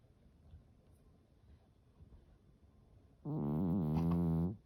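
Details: Norwegian Forest cat snoring while asleep indoors: after about three seconds of near silence, one loud, buzzy, harmonic snore lasts just over a second at a steady low pitch, then stops abruptly.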